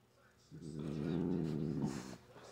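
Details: Grumpy pet cat, a female that spent a long time growling and hissing before nail clipping: a deep, rough, throbbing growl of about one and a half seconds with faint background noise.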